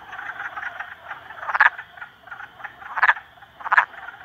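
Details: Three frogs ganging up on a salamander, giving rough, buzzy croaks: a steady chattering background with three louder, sharper croaks at roughly one-second intervals near the end.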